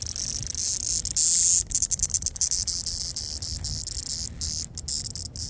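A cicada drones with a continuous high-pitched buzz like sizzling static. Partway through it tightens into a piercing whine, then breaks into rapid, stuttering pulses before settling back into the steady hiss.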